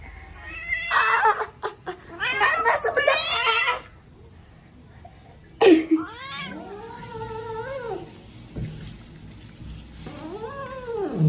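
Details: An angry odd-eyed pet cat indoors gives drawn-out, arching meows that rise and fall, after a stretch of people talking and laughing.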